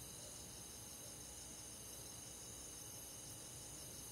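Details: Crickets and other insects in a countryside forest on a summer night, a steady high shimmering chorus with several continuous pitch bands, soft and even throughout, with a faint low rumble beneath.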